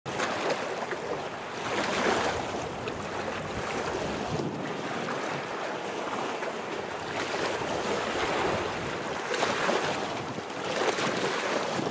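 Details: Continuous roaring wind buffeting the microphone, swelling and fading in gusts, with no animal voice.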